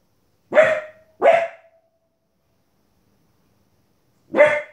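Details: A 15-week-old female Border Collie puppy barks indoors at wolves and other animals on television: two sharp, loud barks in quick succession, a pause of about three seconds, then a third bark.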